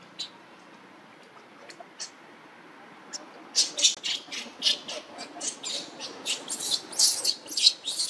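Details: Tiny newborn monkey Luno, living around a temple in Cambodia, cries to call its mother Lucie: after quiet seconds with a few faint clicks, a rapid run of shrill, scratchy squeals repeats about four times a second to the end.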